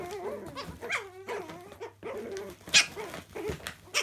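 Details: Playing Chihuahua puppies in a laundry room: quavering, nasal growl-whines that slide up and down, broken by a brief pause and sharp scuffles or yips near the end.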